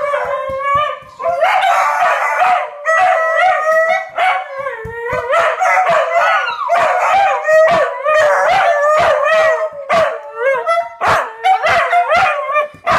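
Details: Several pet dogs, four in all, sing along to passing fire truck sirens in their neighborhood: long wavering howls in overlapping voices, some rising and bending in pitch, punctuated by brief sharp yelps and barks.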